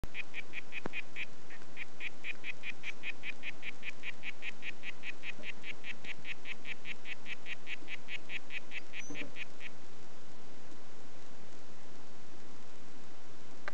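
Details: Harlequin poison frog of the "White Footed" form, calling with a long steady train of short, buzzy, mid-high pulsed notes, about four to five each second, lasting nearly ten seconds before stopping into quiet background hiss.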